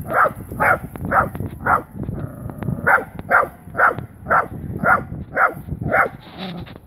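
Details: Wire-haired dachshund barking on its first meeting with a live wild boar: sharp, evenly spaced barks about twice a second, a short pause midway, then a steady run of barks.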